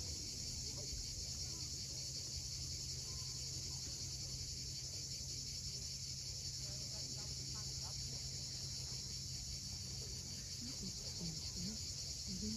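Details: Cicadas at sunset on the steep coast of Cape Fiolent, Crimea: a continuous, even, high-pitched hiss-like buzz that never pauses, over a low steady rumble and faint scattered low chirps.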